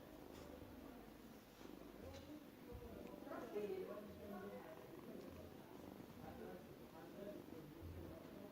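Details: Small cat making a strange sound while eating indoors: a low, rumbling, purr-like murmur in soft rhythmic pulses, steady and quiet throughout, with faint human voices nearby.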